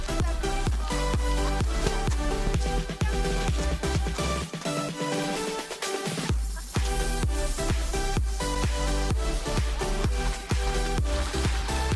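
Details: Electronic dance music with a steady four-on-the-floor beat, pounding bass and bright synth chords; the beat drops out briefly around the middle before returning, and no animal sound is heard.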